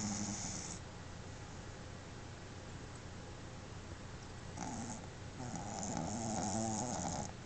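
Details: Pet Boston Terrier Pepe asleep at home, tongue out and eyes open, snoring; soft raspy breaths at the start, then after a quiet gap a longer rattling snore building toward the end, over low room hiss.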